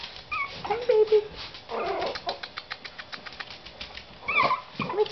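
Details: Seven-week-old Yorkshire Terrier puppies, a litter of four males and one female, whimper in short wavering bursts from their whelping box, with a longer whine near the end and soft human voices between.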